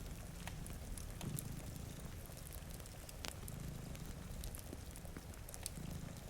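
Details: Two cats sleeping in front of a rainy window purr in slow low rumbling bursts about every two seconds, mixed with crackling fireplace pops and steady pattering rain.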